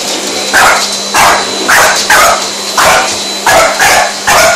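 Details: French Bulldog barking at a running vacuum cleaner, with about eight loud, harsh barks roughly every half second over a steady humming motor drone.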